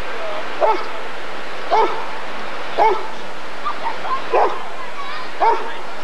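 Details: Rottweiler at the 1994 ADRK Körung breed survey, barking roughly once a second, six sharp barks in a row against a noisy background with faint voices.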